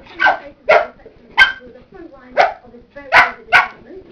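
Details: A nearly one-year-old Cocker Spaniel, playing with a man's feet and slippers, barks repeatedly in short, harsh, fairly high-pitched bursts, about two a second, in a quick, uneven series with brief quiet gaps.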